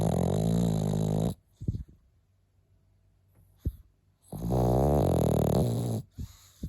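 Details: Pekingese named Milk snoring: two loud, deep rasping snores with a rich buzzy low tone, each lasting over a second and separated by a quiet pause with faint soft breaths and small clicks.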